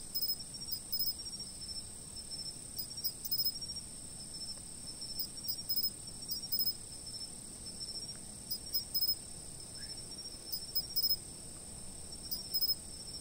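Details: Insects chirping at night from a fixed spot: a steady, very high-pitched continuous trill overlaid with short bursts of sharp chirps every second or two, in a quiet background.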